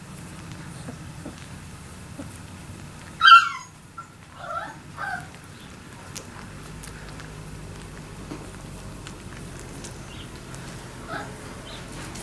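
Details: Labrador Retriever puppies at three weeks old: one sharp high squeal, then a couple of softer whimpers, later a faint squeak, with quiet rustling between.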